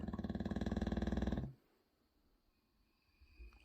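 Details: A 6-year-old English Bulldog snores in a loud, rapid, rattling burst like a vibrating jackhammer, then goes quiet.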